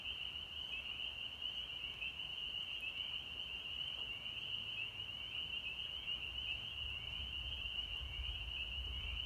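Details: Chorus of spring peepers in North Georgia, March 24, 2020, with many frogs giving shrill, high peeps that blur into one continuous ringing tone, with slight pulsing, above a low background hum that swells near the end.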